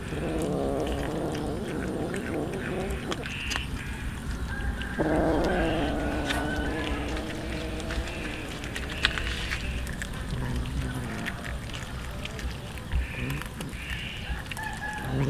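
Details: Many hungry street cats and a kitten eating raw fish; overlapping harmonic meows of varied length run through a dense, noisy background, with a strained wavering call in the middle and shorter mews later.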